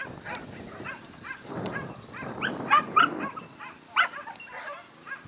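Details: A Basenji at a lure coursing event in New South Wales, 27 September 2015, gives short, high, rising yelping whines in quick bursts over outdoor background noise.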